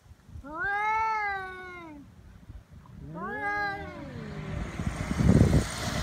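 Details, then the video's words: Stray cats in a threat standoff that turns into a fight on Japan's Cat Day, 22 February: two swelling, arched yowls, then rustling and scuffling noise at the end. "猫の日ガチ喧嘩「威嚇で相手が引かない噛みつきや猫パンチに発展」野良猫 Cat Fight"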